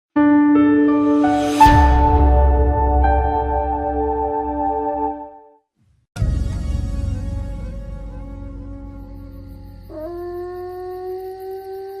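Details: Sustained ambient music tones with a bell-like strike and a deep bass swell are heard, with no animal sound.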